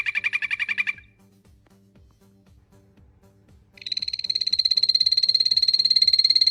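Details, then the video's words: Frogs calling: a short, rapid pulsed trill lasts about one second, then after a near-silent gap a higher-pitched, longer trill of fast, evenly repeated pulses begins and continues to the end, over a faint, low, steady rhythmic thumping. "Sounds of some frogs"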